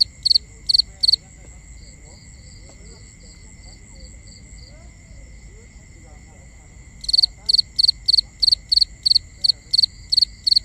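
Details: Crickets at night, binaural nighttime ambience: bursts of high, shrill pulsed chirps, a fast regular series after a quieter stretch of soft even pulsing, over steady high background insect tones and low rumble.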